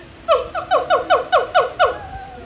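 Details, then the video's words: Little noisy monkey at Dubai Safari in the UAE gives a quick run of seven loud, harmonic calls, each sliding downward, spaced about a quarter second apart, over a low steady background hum. "Little Noisy Monkey"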